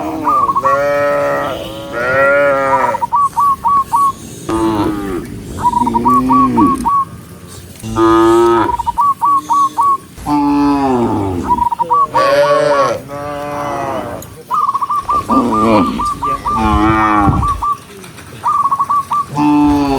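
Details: Several tame cows being herded, running in the rain on a green forest road, give long, drawn-out moos that rise and fall, with short whistled notes between them.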